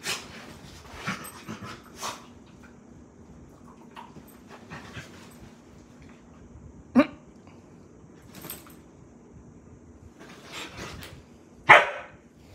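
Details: Playful Samoyed puppy, Daisy, at bedtime in a small room; mostly quiet shuffling with two brief high yips spaced several seconds apart, the second louder and sharper.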